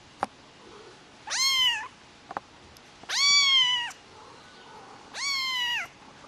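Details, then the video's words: Rare white Highland Lynx kitten, a lynx hybrid, giving three drawn-out, slightly falling meows spaced about two seconds apart, each bright and harmonic-rich, with quiet room background and a few faint clicks between calls. "Lynx Hybrid - Rare white highland lynx Kitten"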